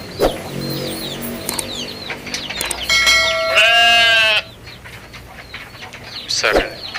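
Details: Against steady high chirping from small birds or chicks, a goat gives one strong, steady bleat lasting over a second. A few sharp knocks come near the end.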